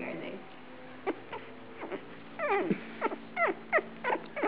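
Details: Australian Shepherd puppies at feeding time on September 12, 2010, giving high squeaky whimpers that slide sharply downward, in quick bursts that grow denser toward the end, while a woman talks quietly over them.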